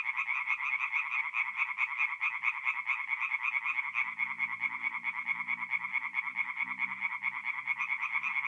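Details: Tree frogs singing at night in a forest pond in North-East Italy in mid-April; a dense chorus of rapid, pulsed croaks, about two per second, overlapping into a continuous rattling band, with faint low murmurs in the second half.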